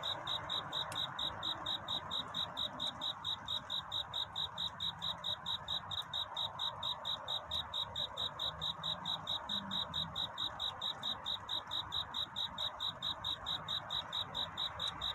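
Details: Courting cricket at night before daybreak, giving a clear, ringing high chirp in a very even rhythm of just over two per second, steady from start to end above gentle hiss.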